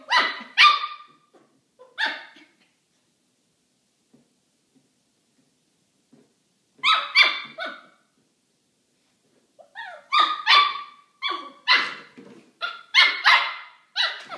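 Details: Kramer, a Maltipoo puppy, yaps at a milk jug he dislikes while playing. Two early barks, a long quiet gap, then a burst of three, and finally a rapid string of high, shrill barks.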